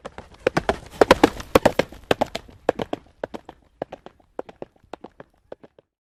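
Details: Galloping horse in open country: dense, quick hoofbeats at first, then sparser, fainter strikes as the sound fades away toward the end.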